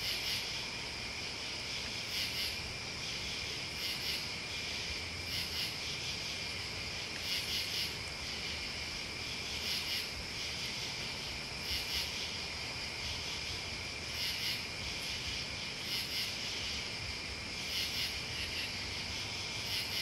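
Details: Crickets and bugs chirping together: a constant bright buzzing drone punctuated by loud, very high pulses at irregular one-to-two-second intervals, against faint low background rumble.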